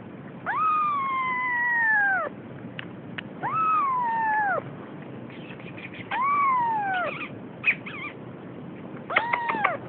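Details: Siamese kitten almost three weeks old, beginning to explore and frightened, giving drawn-out falling meows about every two to three seconds, four calls with a couple of short chirps, over a low background hum.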